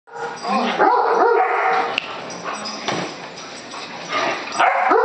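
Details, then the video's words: Great Dane reacting to a balloon it hates: drawn-out, moaning grumbles and whiny vocal bursts, rising and falling in pitch almost continuously, with a sharp click near the middle and a louder outburst at the end. "Great Dane hates balloon"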